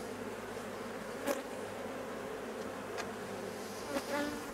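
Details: Hive of honey bees during replacement of a drone-laying colony. A continuous low buzzing drone is broken by three short, louder swells as individual bees zip near, with faint higher whines over the steady hum.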